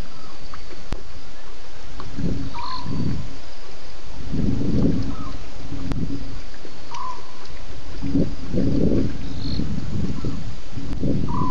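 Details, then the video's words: At least two lions roaring at Djuma waterhole at 01:30 a.m. on 11 November 2016, at night. Deep, low grunting bursts come in a series a second or two apart over a steady low rumble, with faint short chirps higher up. "One BB at Djuma waterhole with at last 2 Lions roaring after his drink"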